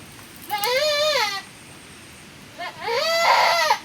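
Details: Goat from a small farm herd with a new birth during rainy-season weather; two wavering, arching bleats roughly a second and a half apart, the second rougher and stronger, with little other sound around them.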